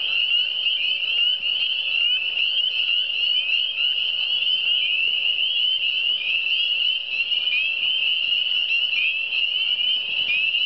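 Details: Frog chorus in the Eastern Townships: a dense, unbroken wall of high, shrill trilling from many overlapping callers, steady throughout with short rising chirps scattered across it and no other sounds standing out.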